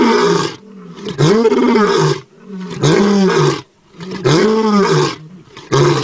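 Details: A tiger roars close in front of the recorder in loud, rasping bursts, each about a second long, repeated with short pauses.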